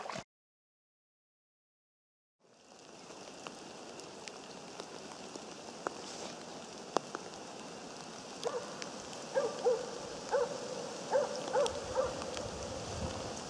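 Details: Jämthund named Otis during a moose hunt, barking in a series of short, repeated, tonal barks at a steady pace that start partway through, over a constant hiss of rain or wind and scattered clicks.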